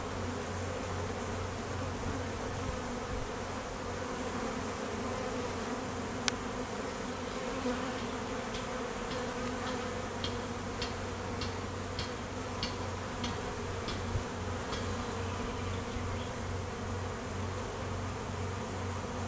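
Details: Honey bees around an apiary in high summer nectar flow, foragers and drones on midday mating flights; an even, low buzzing hum throughout, with one sharp tap and a run of faint high ticks in the second half.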